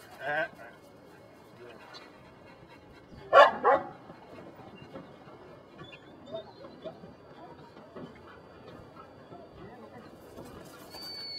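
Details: Belgian Malinois named Brujo from the des Champs kennel in Mexico, working in personal protection control training; one short bark early, then a loud burst of two sharp barks midway, with a man's Spanish commands and faint chatter around them.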